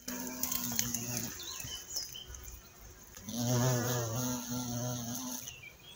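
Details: Violet carpenter bee in Mazovia, Poland, a species once considered extinct in the country in 2002. A low, droning harmonic buzz passes twice, about a second and then two seconds long, with brief bird chirps in the gap.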